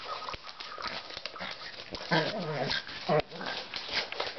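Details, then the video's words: Pug puppy playing with a ball, giving short high whimpering yips around the middle of the recording, with thumps and scuffling noises from play throughout. "Mops/Pug puppy toy like to play ball"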